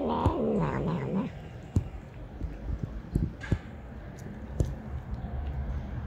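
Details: Cheeky stray street cat lets out one loud, drawn-out meow that wavers and bends in pitch for just over a second, followed by clicks, taps and background street noise.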